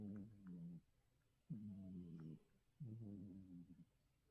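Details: Mackerel tabby cat Oryong snoring hard at home, three rasping low-pitched snores with a slight wavering tone, coming roughly every one and a half seconds, quiet breaths between.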